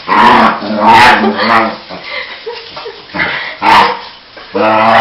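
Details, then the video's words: Pet dog, excited because it is about to be taken for a walk, as it always is beforehand, giving loud harmonic yowling, groaning bursts in rapid runs with brief pauses, rising and falling in pitch, with a rumbling growl-like undertone. "Mad dog makes weird sounds"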